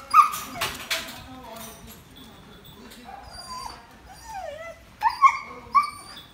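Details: Haroo, a pet Samoyed, gives high tonal whines that bend up and down, with sharp yelping peaks near the start and again after five seconds, separated by softer gaps of background noise.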